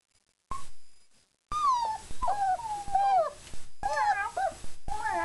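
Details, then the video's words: Several German Shepherd pups, four weeks old, right after eating, giving long quavering whines that bend up and down, one voice sliding in a drawn-out wail while others overlap, broken by abrupt silent gaps. "German Shepherd puppies 4 weeks"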